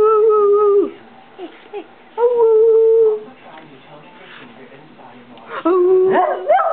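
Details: Saturn, a pet dog making his distinctive WOOOWOOO noises, which are neither barking nor growling: three drawn-out, level, moaning woos of about a second each, separated by pauses, the last one wavering upward, with a person talking softly between them indoors.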